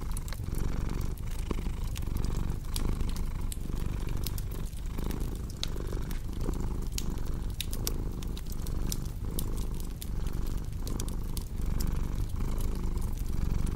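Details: Continuous purring from a cat, a deep throbbing drone broken into breath cycles roughly every second, with sharp crackles of a wood fire scattered throughout.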